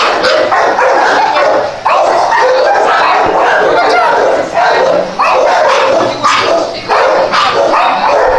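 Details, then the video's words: ['A group of dogs barking nonstop, sharp yappy barks overlapping into a steady wall of sound with only a few brief lulls.'] "The cutest dogs barking"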